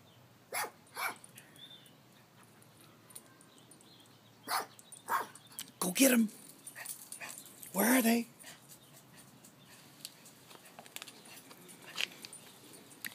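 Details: Chihuahua rat terrier named Tito Puente guarding the house in Palm Springs, egged on by a person; short sharp barks burst out mid-clip, the loudest two about two seconds apart, with voices urging him to get them.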